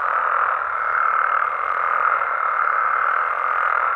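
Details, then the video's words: Nighttime amphibian chorus in Mexico, frogs and toads in natural habitat: many overlapping croaking calls merge into a continuous, even, mid-pitched drone with no gaps, loudness holding steady throughout. "Mexican Frogs & Toads Sounds"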